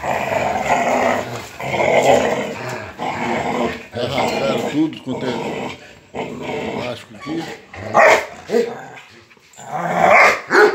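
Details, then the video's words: Rottweilers fighting over a motorcycle tire, giving continuous rough, rumbling growls in bursts with short pauses, mixed with a man's speech and scuffling sounds. "A incrível disputa dos Rottweilers por um pneu de moto."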